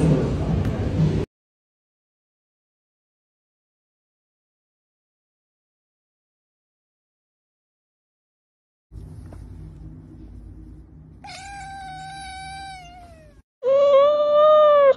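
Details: Cat in a funny pet compilation giving two drawn-out harmonic meows near the end, the first falling in pitch and the second rising then falling, after a long silence and a low rumbling hum.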